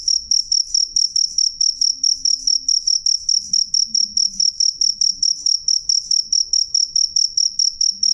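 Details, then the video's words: Cricket calling clearly and loudly, a shrill pulsed chirp repeated steadily about three to four times a second for eight seconds, with faint low background noise. "suara jangkrik jernih keras"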